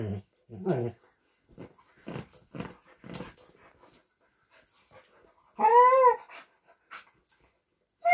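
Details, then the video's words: Vizsla and Doberman at play indoors, competing for a new toy; short low grumbles and snuffles, then a loud rising-falling whine, with another whine starting at the end. "Vizsla vs Doberman - gimme your toy!"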